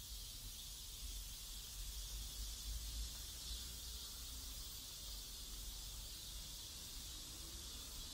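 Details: Cicadas in a residential neighbourhood in South Korea, a dense, steady high-pitched hissing buzz that fills the air without pause, with a soft low rumble of distant background noise beneath.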